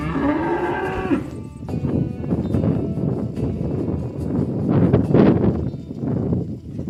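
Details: Oxen driven to the rice field, a cow calling friends to the pen: one short rising moo with clear harmonics, then scuffling, trampling herd noise and faint bell tones.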